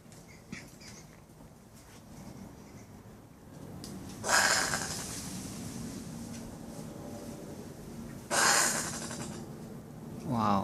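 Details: Common brushtail possums, a couple in a tree beside a front patio in Brisbane, make weird noises at night: two loud, harsh, rasping bursts about a second long, four seconds apart, then a third rough rising burst at the end, with faint high chirps behind.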